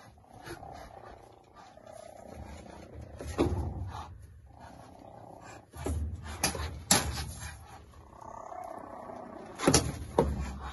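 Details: Five three-week-old cheetah cubs interacting on hay, one perhaps guarding a warm spot. A low rumbling purr runs underneath, broken by sharp, noisy hissing bursts and brief mewing tones. Squeaks and chirps come in irregular flurries.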